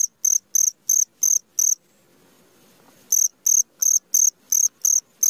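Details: Midnight cricket song, bright high-pitched chirps pulsing about three times a second, with a silent gap of over a second midway before the steady chirping resumes.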